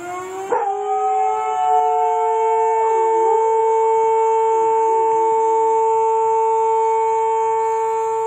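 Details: A pet Norwegian Elkhound howls at the fire whistle: a wavering, rising and falling howl of about three seconds rides over the loud, steady droning tone of the siren, which continues throughout.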